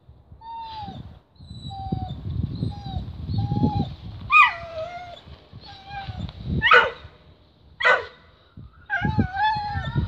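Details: Whippet staging its ritual show of attacking a tripe stick before eating it: a run of short, high, falling whines, then sharp yelping barks, layered over low growling rumbles.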